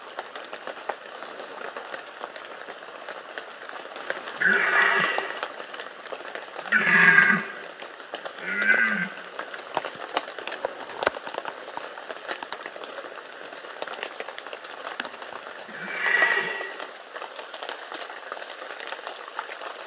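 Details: During the 2015 rut in the Bieszczady, a red deer stag gives a series of four rough, moaning roars, three close together and a last one after a long pause, against persistent crackling patter.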